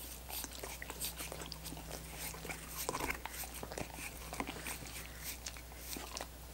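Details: Dogs licking coconut water popsicles indoors: rapid wet smacking and clicking laps in uneven bursts, with a faint steady low hum and a soft tone in the background, no talking.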